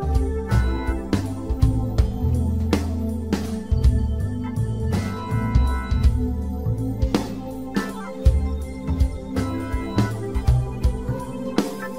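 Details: Only music is heard, with a steady beat, bass and organ-like keyboard, and no animal voices. No frog calls or other animal sounds can be picked out.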